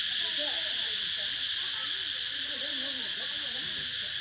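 Cicadas fill the air with a steady, high, hissing drone that never pauses.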